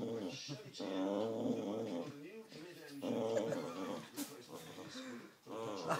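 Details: During a tug-of-war game, Baxter the Boxer lets out drawn-out, tonal growls in a small room, long wobbling rumbles that bend upward into higher whining notes between short pauses, mixed with human speech.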